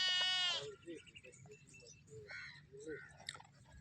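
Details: On a farm keeping goats and sheep, a sheep gives one loud, wavering bleat, followed by quieter farmyard sounds and a person talking.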